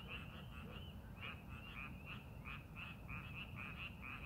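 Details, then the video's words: Several frogs croak in a rice paddy readied for the farming season, giving clipped, ringing notes in quick bursts with brief gaps, set against a constant low-pitched background hum. "농사준비하는 논에서 개구리 울음소리"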